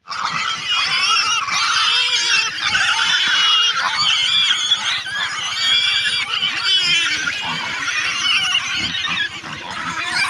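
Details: Pig squealing loudly and without pause, harsh shrill screams with stacked harmonics that run unbroken for about ten seconds.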